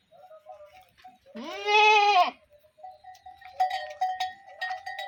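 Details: Sheep on a farm in Telangana giving one loud, drawn-out bleat lasting about a second, rich and wavering, followed by clinking metallic bell tones and faint background bleating.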